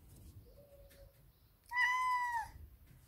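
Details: Big male Ragdoll cat demanding his daily cuddles: a faint, soft, level whine, then one loud, drawn-out meow lasting under a second that rises slightly and falls at the end, over a quiet background.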